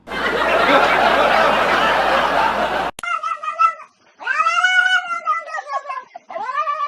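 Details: Kittens calling: after about three seconds of loud dense noise, a series of drawn-out, wavering, harmonic-rich meows follows, with three long cries separated by short gaps.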